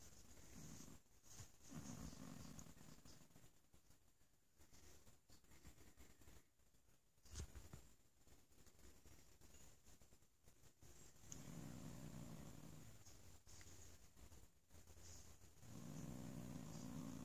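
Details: Bo, a sleepy cat being petted indoors, purrs softly in low rumbling stretches lasting one to two seconds, separated by quieter gaps, with faint rustling throughout.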